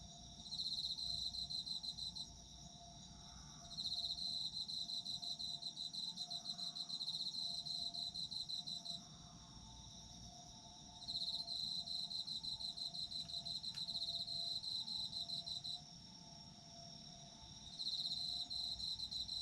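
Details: Autumn insects chorus for sleep, a strong pulsed trill near 4k in long bursts of two to five seconds with short lulls, over a steady higher buzzing layer; a faint steady tone runs low beneath.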